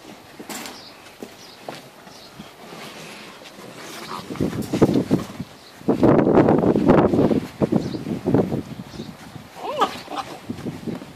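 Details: Seven-week-old Great Dane puppies grumble, growl and squeak in bursts as they play together in a crate.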